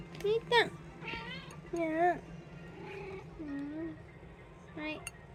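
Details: Munchkin and Abyssinian house cats indoors, 18 February 2026, giving a run of bending, nasal meows, a couple sharp and loud, others softer and lower, while a person talks to them nearby.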